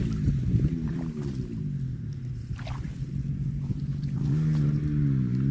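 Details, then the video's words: Two deep cow moos, a brief low one near the start and a longer, steadier one rising into the final second, set against a continuous low rumble. "COW SOUND"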